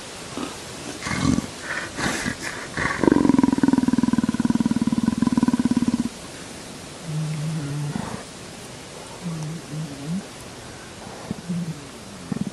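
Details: A leopard apparently being scratched, as if asking for a little higher, gives a long, low, rasping groan, then softer short murmurs, with low human voices.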